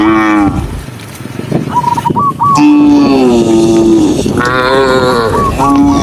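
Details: Out on a green forest walk, a tame cow gives a long, steady, low moo lasting over a second, framed by shorter calls, while high whistled chirps sound in the background.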